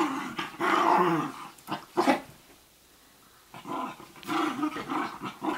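A Basenji gives rough, throaty growls and grumbles in short bursts with a brief quiet pause between.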